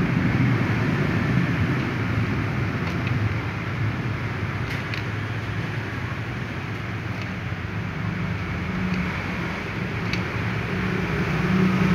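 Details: Loud continuous road traffic roar with a few faint clicks and a low hum; no animal call can be heard.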